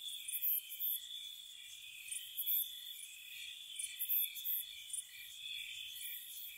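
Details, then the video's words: Night-time spring crickets at a cottage, steady shrill buzzing tone plus frequent short, very high chirps arriving in pairs and triplets, roughly every second across the stretch. "Cricket Sounds"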